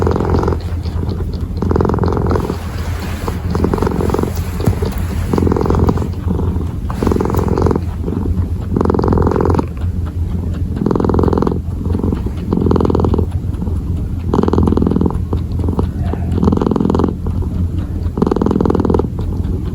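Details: Purring kitten kneading, continuous deep vibrating purr with regular swelling bursts roughly every second and a half, close and loud.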